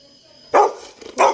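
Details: Pet Labrador Retriever Toby barks twice in quick succession, about two-thirds of a second apart, with a soft grumble between the two loud barks.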